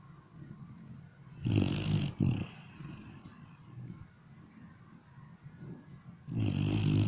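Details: Dog asleep and snoring, giving a deep, raspy two-part snore early on, a long quiet stretch of soft breathing, then another coarse snore starting near the end.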